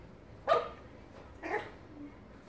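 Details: Small Yorkshire Terrier playing with a rubber pig toy gives two short, sharp barks about a second apart, followed by a faint squeak, indoors.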